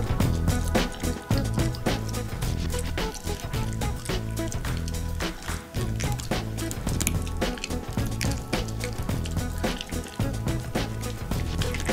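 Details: Steady instrumental music with a strong low beat fills the whole stretch, with a few soft wet squishing and dripping sounds mixed in; no animal voice stands out.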